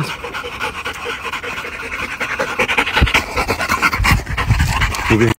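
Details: English Bulldog panting steadily in rapid, rough breaths that grow louder toward the end, with a person calling it over and speaking nearby.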